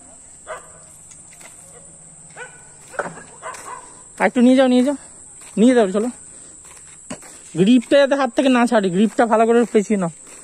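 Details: Saint Bernard dog on a morning walk in 2020: after a quiet start, loud wavering, strongly tonal barks come in short bursts, then cluster in a rapid run near the end, over a steady high hiss.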